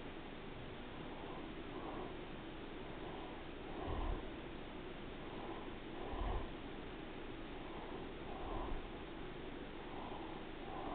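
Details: Pet cat Daisy purring while she rests, a quiet continuous low rumble rising and falling with each breath roughly every two seconds, plus a few soft thumps and sniffs.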